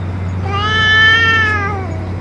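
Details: One loud, sustained meow from a stray boss cat that ate food and medicine, bright and harmonic, rising slightly then easing down over about a second and a half; steady low hum behind.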